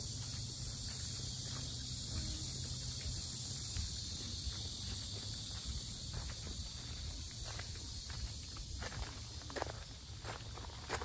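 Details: Loud cicada chorus at Asan's Sinjeongho lotus park, Korea, a continuous high shrill buzz that never pauses, heard over scuffing footsteps and low background noise during a stroll.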